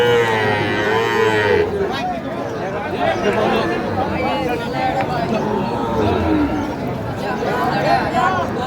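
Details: Cattle at a Pabna market in Bangladesh, among small bull and heifer calves of the Sahiwal type. A long moo opens the clip, then fainter lowing calls sit beneath loud, steady crowd noise and talking.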